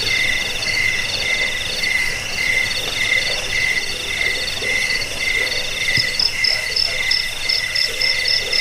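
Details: Crickets chirp in overlapping rhythmic bursts, a sound for scaring off rats, bringing sleep and training birds; mid-high pulsed trills repeat about twice a second, with a higher series joining near the end.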